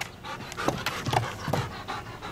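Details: Dog being assessed as a detection dog candidate, panting in short rhythmic breaths through the clip, with a handler praising it as a good boy.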